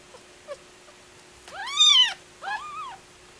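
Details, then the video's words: Kittens, one of a litter of six, fighting over nipples while nursing from their mother; two loud arched squealing meows, rising then falling, the second shorter, with a few faint soft squeaks before them in a small quiet room. "kittens fighting over nipple"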